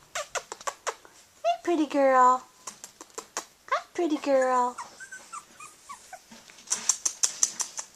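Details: Blue merle female Australian Shepherd puppy, 19 days old, named Jasmine, indoors: two drawn-out whining whimpers, sliding downward with rich overtones. A person speaks softly in between, and brief clicks and taps surround them.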